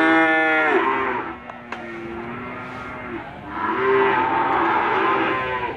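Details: Limousin cattle moo at Gondanglegi livestock market in Malang Regency, East Java, 12 February 2020. A loud harmonic bellow opens, then a quieter gap with a sharp click, then a second long moo and market background noise.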